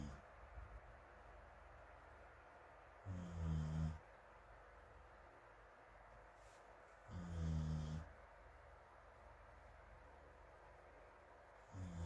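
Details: Snoring dog Morimori asleep on a sofa in a fan's airflow, Hamanaka, Hokkaido, 21 June, sharing sleep with rescued feral puppy Taisetsu and others, distant recording: regular low, rasping snores roughly every four seconds over steady fan noise.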